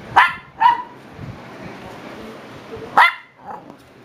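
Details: Young Shiba Inu pups, seven weeks old, let out two quick high-pitched yelps, a pause, then another shrill yip and a softer trailing whimper over low background hiss.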